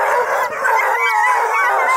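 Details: Coonhounds kept by a breeder near Kingston, Ontario, Blueticks among them, raise a full-throated group howl of continuous, overlapping quavering tones that hold steady in loudness.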